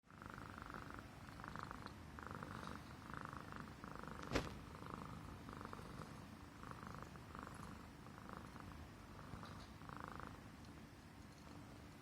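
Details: Himalayan Persian cat purring contentedly while stroked on the neck, a pet showing affection; steady low rumbling purr with rhythmic breathy pulses roughly every half second, one sharp click midway.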